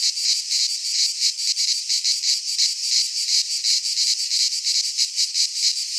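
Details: In a pine forest in Greece during midsummer, cicadas produce an unbroken shrill rasping drone, rhythmically swelling in fast pulses, alone in the recording.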